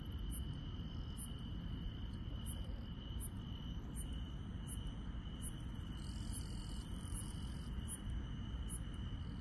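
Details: Rural night with grass insects calling: a softer constant high trill and brighter, regularly spaced high pulses roughly every second, set against persistent low-pitched rumbling noise.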